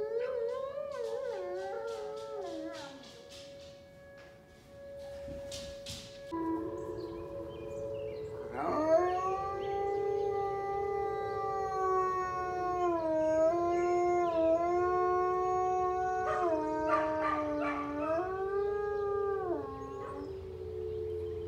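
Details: Wolfdog Kane, high wolf content, howling in response to the monthly Monday-morning siren test indoors; a falling opening cry, a pause, then long bending howls rising and sagging in pitch, with a siren tone at the start.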